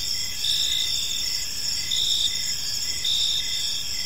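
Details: Crickets in a peaceful park as evening falls, high shimmering trills rising into louder pulses about every second, with a faint low rumble behind.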